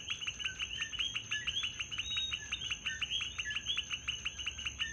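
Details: Coqui frogs calling at night in Puerto Rico: a dense chorus of short, high, two-part chirps repeated rapidly and overlapping, with a steady high insect-like whine in the background.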